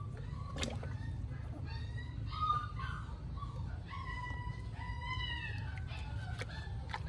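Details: Plaintive high-pitched whines from two stray puppies rescued at a small cottage, several drawn-out falling cries overlapping one another, set against a constant low-frequency hum and occasional knocks.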